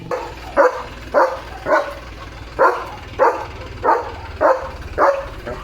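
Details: Leo, a pet German Shepherd, barking in his yard in India on a rainy day with a rainbow overhead: about nine sharp, loud barks, one roughly every 0.6 seconds, over a low steady background hum.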